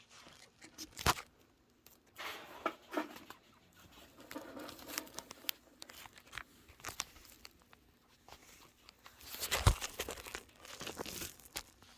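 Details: Rustling, crinkling and scratching noises indoors, with no clear animal voice. Sharp taps and patter come and go over a quiet room background.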